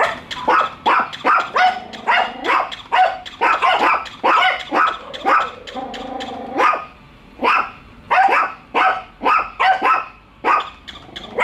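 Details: Pet dogs Bico and Faith barking nonstop at a toy dog they are meeting for the first time; rapid overlapping barks in quick bursts, with a brief whining growl midway.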